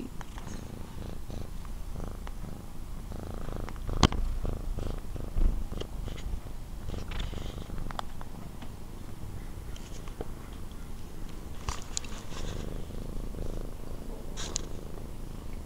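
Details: A sleepy house cat named Nathan, just woken and dozing off again with his tongue out, purrs in a continuous low, pulsing rumble; sharp clicks and small rustles break in, one louder knock near the middle.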